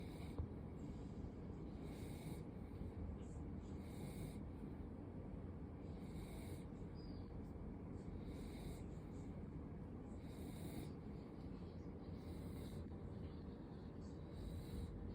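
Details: A sleeping female Welsh corgi, born March 2022, snores softly, with a breathy rasp returning about every two seconds over a low background rumble.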